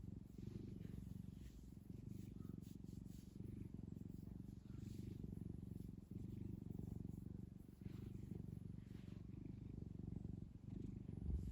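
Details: Low continuous purring from Kkumi, a pet cat kneading a fluffy blanket, a rapid throbbing rumble held evenly for over ten seconds with only slight swells in loudness.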